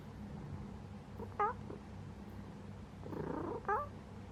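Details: Sleeping pet cat purring: a steady low rumbling drone throughout, broken by two brief high rising-falling chirps near the middle and the end.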